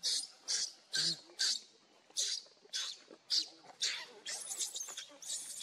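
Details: Monkeys, with Luna running fast while carrying Luno and Rainbow trying to take Luno away: a run of shrill, high-pitched squeaks in short bursts, roughly two per second, some breaking into longer rasping cries near the end.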